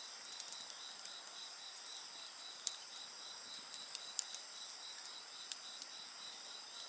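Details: Insect voices keep up a thin, ringing, evenly pulsed trill over a bonfire that crackles irregularly, with a few sharper snaps standing out.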